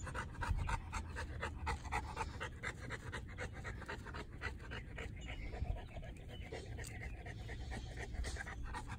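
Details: Fast, even panting from Monsterpiece Strawberry, a three-year-old female North American Mastiff from the breed's founding kennel, filmed April 2019; short breathy puffs repeat several times a second over a constant low-pitched hum.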